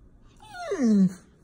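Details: Golden Retriever, a pet dog indoors, whining because its owner stopped petting it: a single drawn-out moan that slides downward and swells before cutting off.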